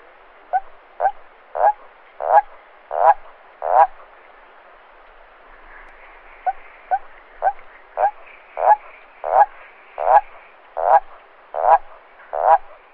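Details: At night a toad gives deep, gurgling croaks, a call for attracting females or defending territory. Two rising series are heard, of about eight and eleven notes, each series swelling in loudness, with a short gap between them.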